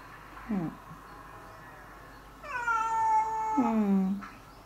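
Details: Cats around a house in spring, domestic and stray; a short low yowl followed by a long, loud, drawn-out wavering caterwaul that falls at the end, with a person speaking briefly afterward.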